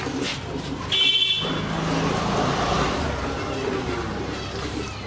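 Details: Road traffic noise with a brief car horn toot and distant voices outdoors, and no animal sounds.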